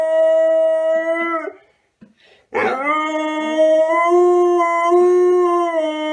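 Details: Dog eager for a walk gives a long, level howl, falls silent for about a second, then starts again with a rising yelp that settles into another sustained, slightly wavering howl.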